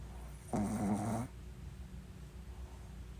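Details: Pet Shih Tzu snoring: one rough, buzzy snore lasting under a second, with a low harmonic drone, followed by quiet room noise.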